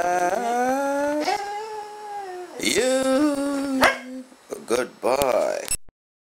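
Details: Pet dog Goldy, coaxed to talk on command, gives a long sustained tonal whine that steps slightly upward, then a second drawn-out phrase. Quick yelping bursts follow before sudden silence.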